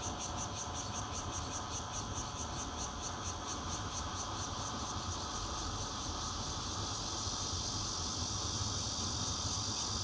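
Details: High shrill droning of bear cicadas, red-veined and intermittent callers, at a fourth-floor home in Zhongli, Taiwan, June 16 2013, on a Nokia Lumia 820; pulsed beats early, then a smoother continuous buzz, low background rumble throughout.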